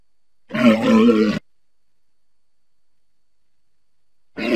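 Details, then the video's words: A walrus gives one short, wavering grunt-like bellow with clear low tones, followed by a few seconds of silence and the start of another call. "Walrus sounds"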